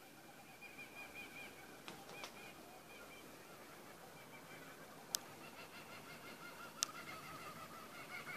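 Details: Black flying-fox, a male fruit bat in a backyard, 11/09/2014: continual nasal, honking squawks with layered harmonics, repeated irregularly, broken by a few sharp clicks or snaps.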